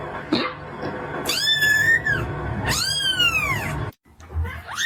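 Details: Kitten giving loud, high, drawn-out meows, each arching up then sliding down. Two long calls come close together, then a brief silence and the start of another rising meow, over low background rumble.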